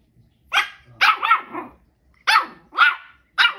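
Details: Zoey, a two-month-old Shih Tzu puppy, gives her first barks: five short, high, yappy barks in an irregular run, the second one doubled, with quiet gaps between them.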